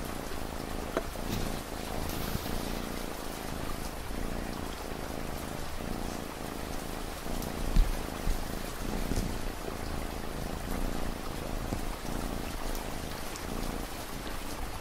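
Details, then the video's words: Cat purr as a low throbbing rumble with rhythmic pulses recurring about every second, blended with soft rain patter in an ambient relaxation mix for late-night study. "Rain & Cat Purring Sound"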